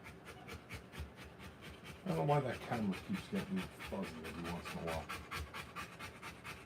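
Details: Quick, breathy panting from a Rottweiler giving birth to puppies continues throughout, about two to three huffs a second, while a person talks over the middle seconds.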